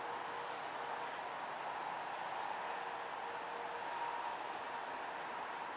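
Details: A male great green bush-cricket (Tettigonia viridissima) sings a continuous, high-pitched buzzing rattle without a break, recorded 2 September 2011.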